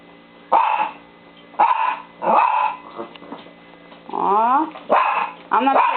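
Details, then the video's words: Pet dog barking to show friends how she barks: several loud barks mixed with a wavering, rising whine-like bark, with people talking in the background. "SUSIE LOBO BARKING AWAY"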